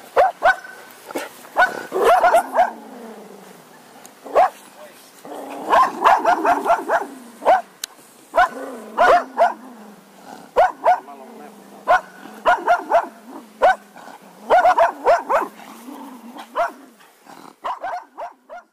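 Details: Cocker Spaniel dog barking almost continuously, quick clustered barks tumbling over each other with brief pauses, low whines running beneath.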